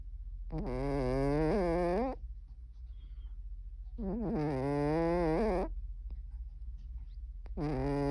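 A Cornish Rex cat snores in long, droning, nasal breaths, each lasting over a second.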